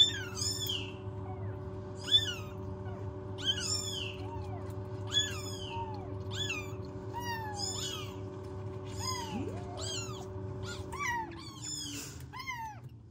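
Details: Motherless newborn rescue kittens in a home warming box cry repeatedly, several high downward-curving meows overlapping, about one call every two seconds, with a constant low hum behind them.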